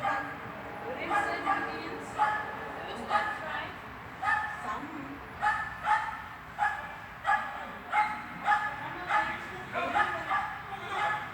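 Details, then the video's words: Swiss dog barking during heel-walk training in an indoor hall, recorded 13 August 2021; repeated sharp barks roughly once per second with some yips and whimpers, a person speaking. "treening Swiss Dog hallis"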